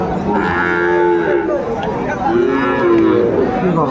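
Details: Sahiwal bull at a cattle market in Madaripur, Bangladesh, recorded on 10 September: long low moos with stacked harmonic bands, two drawn-out calls over about four seconds, amid market chatter.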